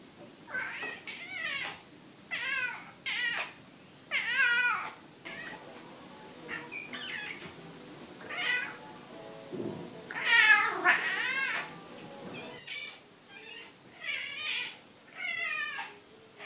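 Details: Domestic cat greeting people with a call each time someone pulls up the curtains; a long run of clear, rising-then-falling meows, about a dozen across sixteen seconds, coming in quick bursts with short pauses, indoors.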